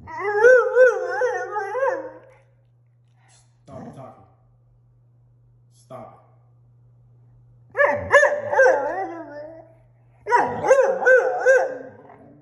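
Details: Indoors, six-month-old German Shorthaired Pointer puppy Tundra answers being told no about going outside with wavering, warbling howls in three bursts, the middle one short and faint, between them quiet gaps and a man scolding her to stop.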